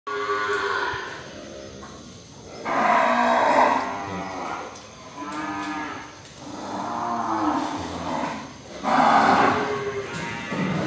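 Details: Breeding cows offered for sale give deep, drawn-out moos in three separate bouts, each swelling and fading over one to two seconds, with a quiet room hum between calls.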